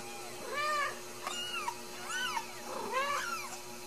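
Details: Ragdoll kittens, home-raised and uncaged in central Kansas, give a quick run of arched, harmonic-rich meows, four or five in under four seconds, one overlapping another as if more than one kitten calls.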